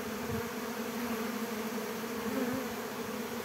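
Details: Young Western honey bees from a 2022 swarm make their orientation flight around the hives in the early afternoon, memorizing the hive location before returning. A dense, steady droning hum from many bees continues throughout.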